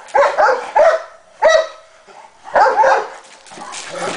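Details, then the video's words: Cane Corso in training, giving a run of loud, deep barks: three quick barks, a single bark after a pause, then a longer double bark, ending in softer rustling. "Cane Corso Training"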